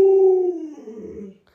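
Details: Short howl from Luoluo, a household Alaskan Malamute: a clear, steady tone that droops lower and breaks into a rough, trailing fade within about a second and a half.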